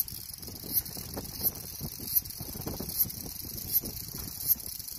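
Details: Cicada drone: a steady, hissing high-pitched buzz, punctuated by sharp ticks about every 0.7 seconds, over a low rumbling background.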